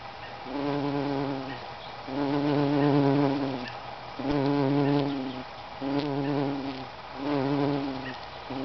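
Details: Bumblebee on a lupin flower: a deep, droning wing buzz that comes in about five bursts of one to one and a half seconds. Each burst swells and fades with short quieter pauses between them.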